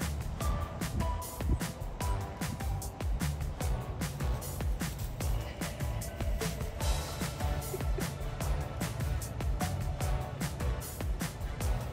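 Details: Music with a strong low bass line and regular percussive beats fills the whole passage. No animal voice can be picked out over it.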